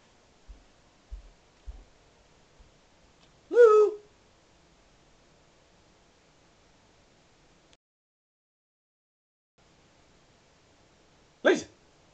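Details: A female Alaskan Malamute on Christmas morning, 25 December 2012, opening presents, gives a brief, wavering, hooting woo, with a short sharp sound later and soft thumps.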